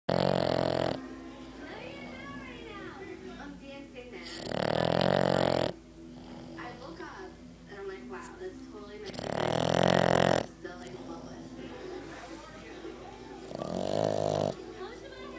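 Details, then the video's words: Pet dog snoring loudly while asleep. Harsh, rumbling snores come about every four and a half seconds, each lasting around a second. People talk steadily in the background between the snores. "My dog snoring"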